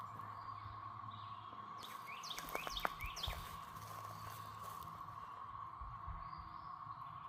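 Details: Cicadas in Belton, South Carolina, on 28 April 2024 hold a steady, unbroken droning hum, with a brief burst of sharp chirps midway.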